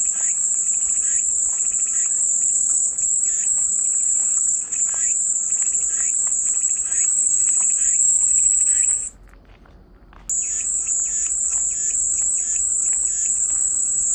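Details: Cicada sound as a sustained shrill buzz lasting about nine seconds, a brief silent gap, then the same unbroken high whine again, softer rhythmic chirps underneath.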